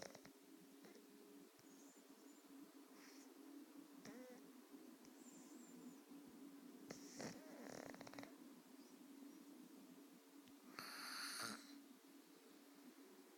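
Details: Beowulf, a sleeping pet cat, snoring less intensely than usual: a steady low hum runs throughout, broken by breathy, noisy snore bursts near seven, eight and eleven seconds, the last the loudest and hissiest.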